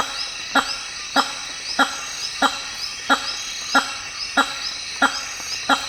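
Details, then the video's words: Hammer-headed fruit bat megabat calling: a string of abrupt, resonant honks at an even pace of about one every 0.6 seconds, set against a layered high insect chorus of the African rainforest. "The weird sounds of Hammer headed fruit bats"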